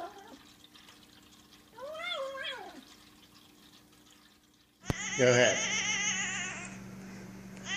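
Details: House cat with one arched, rising-then-falling meow near two seconds, followed by a loud burst of running water and splashing that fills the rest of the recording.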